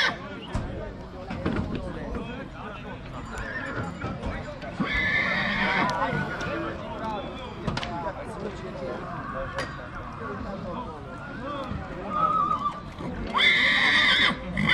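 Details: Two-year-old stallion colt in Maramureș, at Dăneștii Chioarului, whinnies shrilly twice, once early and again near the end, with hoof clip-clops, thumps and continual human chatter around it.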